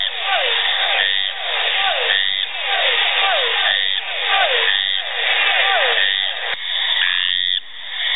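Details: Brazilian frog calling, a harmonic, nasal note sliding downward and repeated in rapid bursts about once a second, with brief quieter gaps between the phrases and no other clear sounds.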